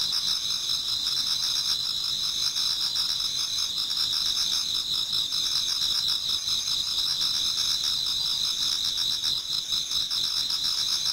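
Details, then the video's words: Toward dawn in autumn, numerous insects sing together in a Japanese garden, producing an unbroken high, ringing chorus of trilling and chirping voices that stays even in loudness. "Autumn Insects voice Towards dawn"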